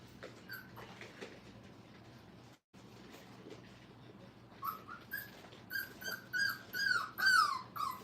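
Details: Brittany puppies, five weeks old, at play in a training kennel: quiet rustling at first, then a run of loud, wavering whines and yips that grow stronger and more frequent toward the end.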